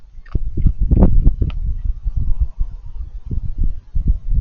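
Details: Crunchy eating noises from a raccoon, a rapid run of crisp clicks and chomps, sharp crackles early, then continuous steady munching.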